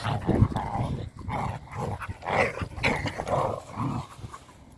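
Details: Three pet dogs, Lennon, Jasper and Duggie, playing together: a string of short, rough, throaty barks and growls comes in quick uneven bursts. Each has a low rumble and a mid-pitched edge, with brief pauses between them.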